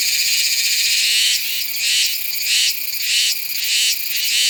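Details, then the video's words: Meimuna iwasakii cicada singing in September at Nanzhuang, Taiwan, recorded on a Sony A7s3 with a shotgun microphone: a steady high buzzing drone, swelling into loud pulsing bursts about every 0.7 seconds after the first second. "岩崎寒蟬 蟬鳴聲 / Meimuna iwasakii"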